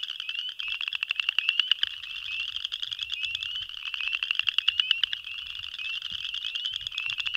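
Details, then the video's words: Male boreal chorus frogs give their mating advertisement call, rapid rasping pulsed trills overlapping into a steady high chorus, with spring peepers also heard. "Boreal Chorus Frog (Pseudacris maculata) Advertisement Call"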